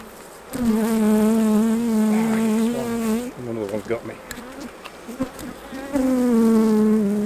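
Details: Honey bees around the hives while honey is taken off for harvest. A loud, steady droning buzz wavers in pitch as a bee passes close, breaks off midway for scattered shorter buzzes and clicks, then returns strong.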